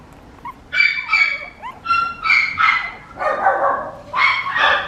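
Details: Papillon puppy giving high, sharp yips with strong harmonics, a few closely spaced pairs and single calls over about five seconds, with a quiet background.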